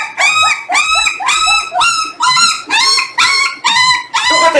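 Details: Jindo litter, 18 days after birth, during weighing with the parent dogs: eight clear, arching harmonic squeals repeated about every half second, loud and evenly spaced.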